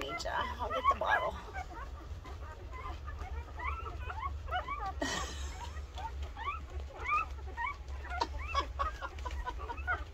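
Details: A litter of 13 two-week-old Rottweiler puppies nursing makes constant high, squeaky chirps and little whines.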